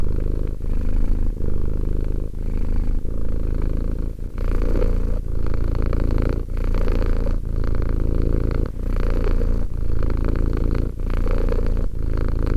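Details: Two-year-old cat Romek purrs continuously, a deep rhythmic rumble with short pauses near every second as he breathes.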